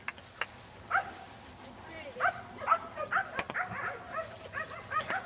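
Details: Playful Standard Poodle puppies outdoors in a field, March 2009, giving scattered short, high yelps at irregular intervals, softer and partly masked by background outdoor noise and a few sharp clicks.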